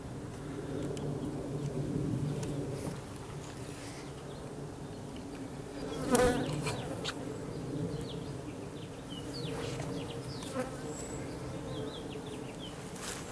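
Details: Package of about 10,000 Russian/Carniolan hybrid honey bees with one queen, installed into a new hive in April 2012; steady low droning hum with overtone bands throughout, brief clicks and knocks from handling the hive.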